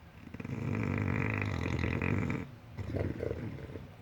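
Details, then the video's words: Deep, rattling snore from a sleeping English Bulldog, building up and holding for about two seconds, then fading into softer snuffling breaths. "Gracioso Perro bulldog roncando"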